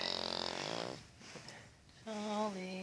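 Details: An 8-year-old male Cavalier King Charles Spaniel, deeply asleep, gives a loud, rough, buzzing snore on a drawn-out breath; a quiet pause follows, then a person's gentle voice calls him to wake up.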